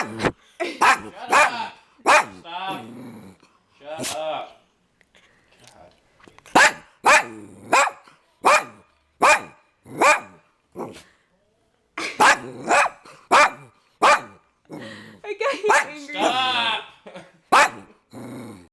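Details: Pet dog barking in short, sharp bursts, several in quick clusters separated by pauses of a second or more, with about eleven barks a minute and some longer, strained vocal sounds between them.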